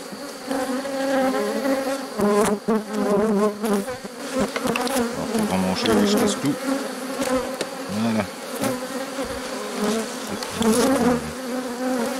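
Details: During the rescue of a drone-laying honey bee hive on 3 May 2021, bees fill the air with a low, throbbing drone. Individual fliers swoop past, dipping and rising in pitch, while frames knock faintly.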